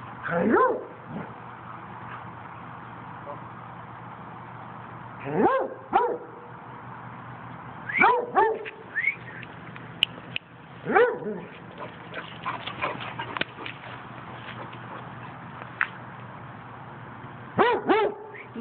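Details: Buddha, a Basset Hound, howling: short baying bursts that start high and drop in pitch, each with strong overtones, coming in about five separated bouts across nineteen seconds, with quieter yelps and whimpers between them.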